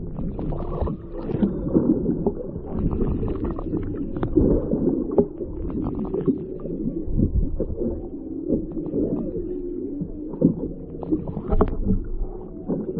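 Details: Whales in the ocean off Maui, picked up by an underwater microphone lowered from a whale-watching boat: dense low moans and groans with wavering, gliding tones. A constant low rumble and clicks run underneath.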